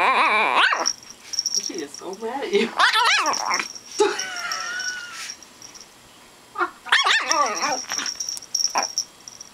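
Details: Tiny three-pound female 'imperial' Shih Tzu, two years old, mad about having her chicken wing taken away: clustered harsh yaps and grumbling bursts with a wavering whine between them, a person talking at times in a small room.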